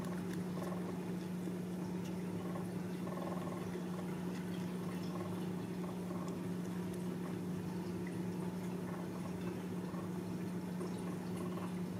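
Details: Steady indoor hum with a low constant drone and faint liquid-like rustling and clicks; no animal voice stands out.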